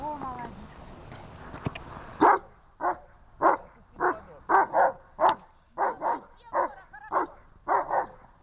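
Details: ['Two dogs recorded on 23 December 2018: a person talks for about two seconds, then sharp, mid-pitched barks follow at a steady pace, roughly every half second, until the end.']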